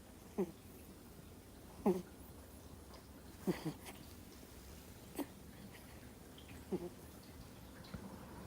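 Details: Two-month-old Miniature Schnauzer puppy fast asleep indoors, snoring: short nasal snorts repeated roughly every one and a half seconds, six in all, over quiet room hiss.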